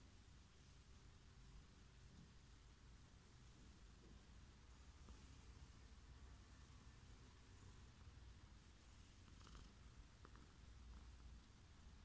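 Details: Fluffy male house cat purring while being cuddled: a soft, continuous, low rumbling purr, steady throughout, with faint rustling of fur and a few light clicks.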